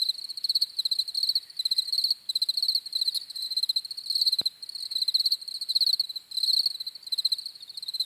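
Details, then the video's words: High, pulsing cricket chirps run in close-packed bursts over a dense insect chorus, with a single sharp click cutting through midway. "CRICKETS CHIRPING SOUNDS"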